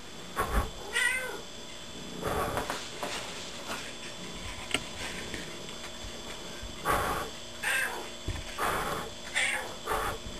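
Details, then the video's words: Gertie, a pet cat, talking indoors in response to her owner: a few soft, brief meows early on and again near seven and nine seconds, mixed with handling noise and a constant electrical hum. "Hysterical Talking Cat"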